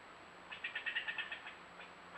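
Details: Angry squirrel fussing from a tree, scolding a bobcat nearby, picked up by a camera: a quick run of about eight sharp, chattering pulses in under a second, then fading, over a steady faint hum.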